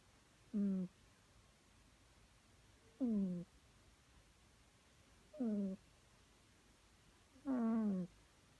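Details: Sleeping house cat snoring quietly: four brief, nasal, harmonic snore bursts with a slightly falling tone, spaced roughly two and a half seconds apart, the last one loudest, against a hushed indoor background.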